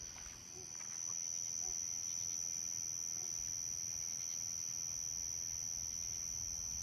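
A common short-tailed cricket gives a high, steady trill that runs without a break.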